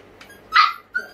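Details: A hungry, impatient puppy waiting for food gives one short, high whining yelp that rises and falls, followed by a brief thin squeak, indoors with quiet room noise.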